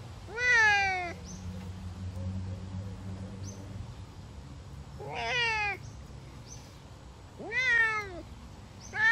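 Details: Savannah cat on a summer walk, giving four drawn-out meows spaced roughly two to three seconds apart. Each call is harmonic-rich and falls slightly in pitch, over a quiet low background hum.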